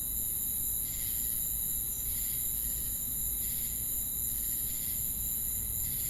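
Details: Crickets calling with cicadas: shrill, continuous high insect hiss layered with steady tones, and muffled pulsing chirps recurring roughly each second, backed by a deep, noisy rumble.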